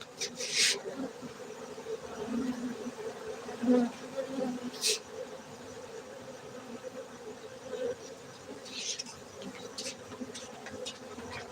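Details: Honey bees at a beekeeping centre in Gayo, Bener Meriah, Aceh, Indonesia: a steady low hum of many insects throughout, with a few sharp clicks and brief louder passes near the microphone.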